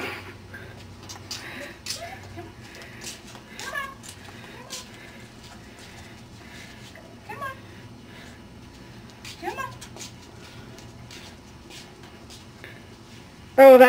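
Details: Ten-week-old Cardigan Welsh Corgi puppies from a Preston and Velvet litter give short, separate whines that bend up and then down, a few seconds apart, under quiet talking indoors.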